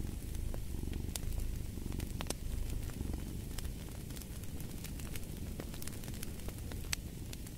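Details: Cat's purr forms a continuous deep throbbing drone beneath frequent snapping fireplace crackles, with slight waxing and waning in strength.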